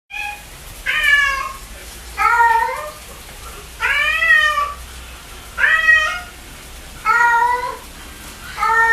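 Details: A cat meowing repeatedly indoors: six loud harmonic meows, each about half a second to a second long, spaced roughly every one and a half seconds, some with a rising-then-falling contour, over a quiet low hum.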